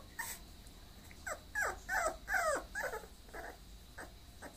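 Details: Bulloxer mixed-breed dog whimpering: a quick run of high, downward-sliding whines and yelps, two or three each second, loudest in the middle and fading to shorter, softer whimpers at the end, over a quiet background.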